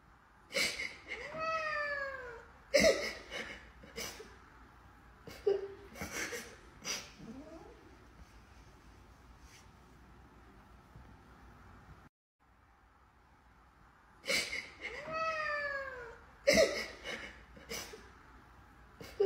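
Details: Domestic cat meowing: drawn-out descending meows with rich stacked harmonics, falling in pitch, a pair near the start and again after a quiet gap, mixed with sharp clicks and short bursts.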